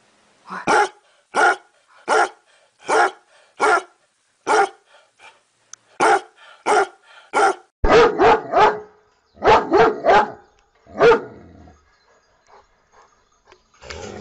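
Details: Dog barking in a run of sharp, evenly spaced barks, about one every 0.7 seconds, then a denser cluster of rougher, overlapping barks toward the end with brief quiet gaps.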